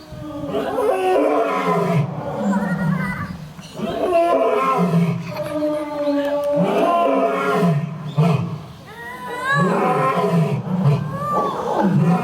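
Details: Japan's oldest lion at Toyohashi Zoo (Nonhoi Park) roaring: a series of deep, grunting roars with harmonic bands, repeated in bursts with short pauses between them.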